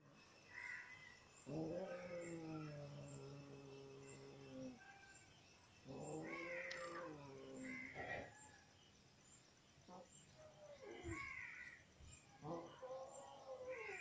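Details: Mother cat growling angrily at her kittens while nursing them: long low harmonic growl-yowls of two to three seconds, separated by shorter rising and falling whines and meows.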